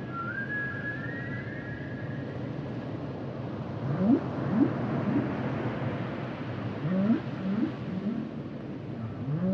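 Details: Humpback whale singing: a thin, slightly rising whistle opens, then a run of short low upswept moans in quick groups, a pause, and another similar group, with constant underwater rumble and hiss beneath.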